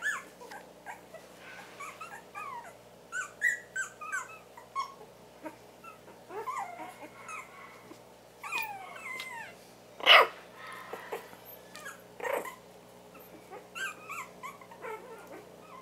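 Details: Four-week-old Havanese puppies from one litter, making scattered high squeaks, whines and brief yelps, with one sharper cry near ten seconds, over a quiet indoor hum.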